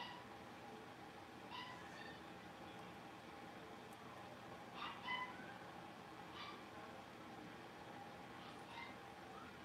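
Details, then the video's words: Playful yaps from a pen of five young blenheim Cavalier King Charles Spaniel puppies at Red Barn Cavaliers. Brief squeaky barks and yelps come irregularly, with a tight cluster midway, against constant background hum. "Cavalier Puppies Livestream: Playing, Barking, and Learning"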